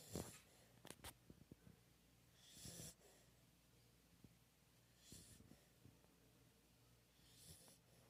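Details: Sleeping pit bull breathing in soft snores: airy, hissing breaths recur about every two and a half seconds, with a few small clicks and snorts at the start.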